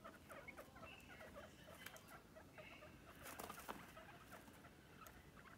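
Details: Several pet guinea pigs, energetic in their playpen: short, soft squeaking calls come in scattered bursts over constant rustling and pattering of feet on bedding, with a few sharp clicks.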